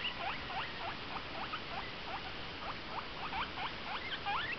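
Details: Pet guinea pig making noise: a steady series of quick high squeaks, each sweeping up then down, repeated about three times a second and rising in pitch toward the end.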